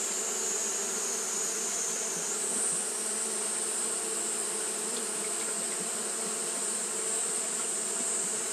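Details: On a hot day, Japanese honey bees keep fanning, producing an unbroken, even buzz: low humming bands beneath a high sustained whine that steps up slightly early on.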